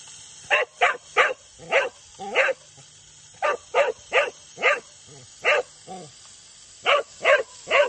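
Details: A Cocker Spaniel gives sharp, repeated barks in quick bursts, asking for a drink of water.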